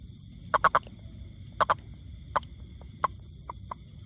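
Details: Toad giving short, sharp croaks near mid pitch: a quick triple, then a pair, then single notes spaced out, about nine calls in four seconds over a faint low hum.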